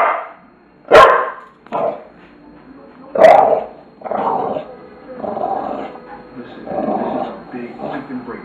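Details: Tula the bulldog lets out a few loud, spaced barks, followed by lower, drawn-out vocalising mixed with human voices.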